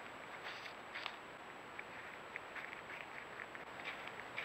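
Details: A wild cottontail rabbit, most likely eastern (Sylvilagus floridanus), eating a fallen apple under apple trees around Halloween: soft, irregular crisp clicks and snaps at a quiet level.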